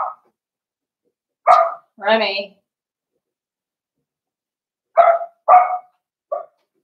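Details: Blenheim Cavalier King Charles Spaniel puppies, a litter of five born at New Year, indoors in a puppy pen; short high yappy barks in two bursts, with a harmonic whine between and silence around them.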